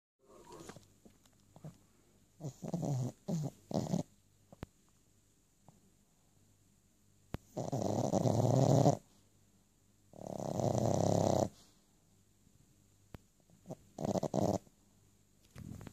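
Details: A sleeping Boston Terrier napping makes muffled snorts and huffing, snore-like bursts while dreaming.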